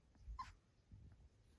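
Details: Domestic dog indoors letting out a single short, faint bark amid low background rumble, as someone repeats a request to play.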